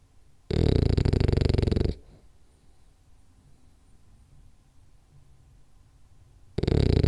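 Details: Rolly, a French Bulldog, snoring during a ten-minute nap: loud, rough, low rattling snore lasting over a second, a long quiet pause with soft breathing, then another loud rasping snore begins.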